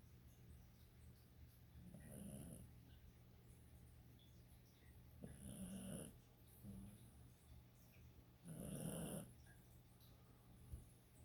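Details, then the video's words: Pet dog snoring: three deep, rough breathy snores roughly every three seconds, each with a low rumbling core and a faint hissing upper edge, separated by quiet gaps with a steady low hum in the background. "dog shnappy snoring"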